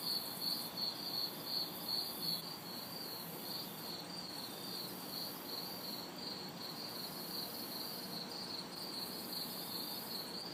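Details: Crickets and cicadas in a city backyard on a hot, humid summer night: steady high chirps pulsing about two or three times a second over a constant high hiss, with faint distant traffic noise beneath.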